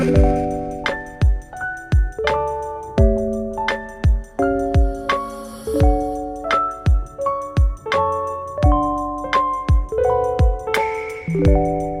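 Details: Gentle plucked mallet-like melody, marimba and glockenspiel notes struck in a bouncy pattern, with no animal voice.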